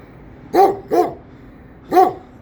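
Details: Kangal dog, an older animal, barking three times: a quick pair of deep, full-toned barks, then a single bark about a second later, with no other clear sounds.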